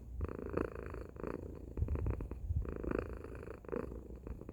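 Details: Tacy, a domestic cat, gives a loud purr, a deep throbbing rumble pulsing on each inhale and exhale, strongest in the low register, steady throughout.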